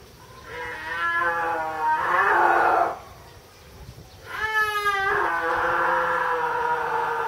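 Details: Captive snow leopard, Tama Zoological Park, Japan, October 2012, uttering a series of hoarse, moaning wails, some rising then falling, others long and flat, run closely together with a short gap in the middle.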